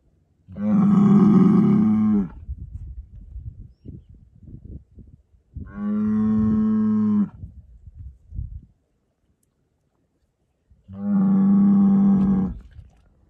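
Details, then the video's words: Aberdeen Angus bull weighing 1100 kg, three long, loud, deep moos with strong harmonics, each about one and a half seconds, spaced roughly five seconds apart, with quieter shuffling and knocking between calls. "Bull Monster 1100 kg. Breed Aberdeen Angus."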